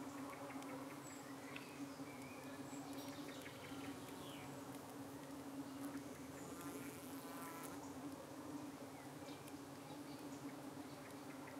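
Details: Honey bees at a UK hive in the evening, defending themselves as flies dart in to settle on their abdomens; a steady low hum holds at one pitch throughout, with faint higher chirps from other birds above.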